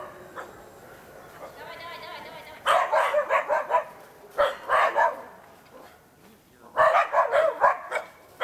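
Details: Young Karelian Bear Dogs baying at a wild boar in an enclosure during trial training: clusters of fast, harsh barks in three bursts, with a person's voice urging them on in between.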